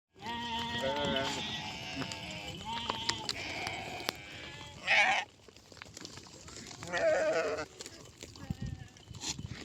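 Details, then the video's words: Sheep bleating with wavering, harmonic-rich cries over the first three seconds, then two louder harsh bleats near five and seven seconds, with softer calls and background farm noise between. "Sheep Sound Effect"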